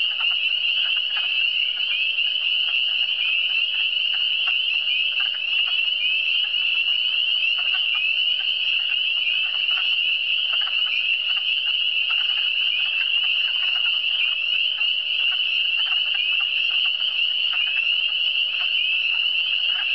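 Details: A steady frog chorus from the Eastern Townships, many callers merging into one unbroken high-pitched trill with soft pulsed croaks flickering below throughout.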